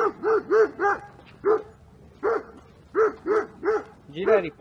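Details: Two-year-old unneutered American Staffordshire Terrier in Milan, described as overexcited and dominant, during a training session; a run of short, sharp barks in quick bursts of three or four, pausing briefly between bursts, ending on a rougher bark.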